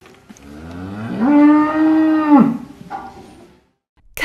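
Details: A cow gives one long, low, steady moo that starts with a rising note, holds for over a second and then drops away. A short fainter sound and a sharp click follow in an otherwise quiet setting.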